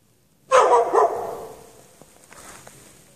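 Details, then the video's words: Dog left chained outdoors in snow with no shelter on the night of 3 March 2014; two hoarse barks close together, followed by a long echoing tail and faint background noise. "Dog barking chained out in the snow"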